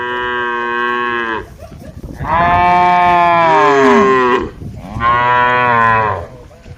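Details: Cattle from a herd of dozens of tame cows grazing on a wide green field, answering one another: three long, loud, richly harmonic moos, the middle one longest and falling in pitch at its end.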